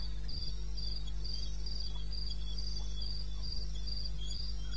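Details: Night chorus of crickets from the eastern Botswana wilderness, 21 May 2016 at 2:30 AM: regular shrill chirps roughly four per second, a quieter lower trill, a few dull thumps and a steady hum.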